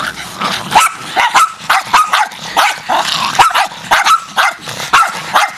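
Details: Feral Jack Russell terriers attacking as a pack: loud, overlapping high-pitched barks and yaps from several dogs, coming almost continuously, several per second, in a frantic chorus.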